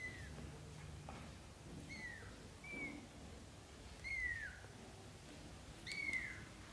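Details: Young British Shorthair kittens practising walking on the floor beside their mother cat; five clear, thin, high-pitched cries, each bending downward, spaced about a second or more apart over a quiet indoor background.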